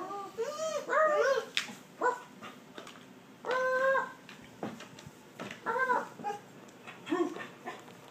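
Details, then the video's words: Border Collie 'talking' indoors: looping, yodel-like whines open the clip. Several separate warbling, moaning utterances follow, each about half a second to a second long, spaced by short pauses. "border collie talking laughing"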